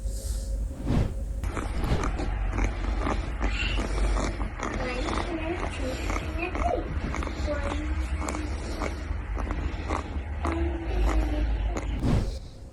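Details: A sick guinea pig (Cavia porcellus) breathes with laboured, crackly, clicking rattles and faint squeaks over a low background hum, a sign of a respiratory infection, in a rainy, humid season.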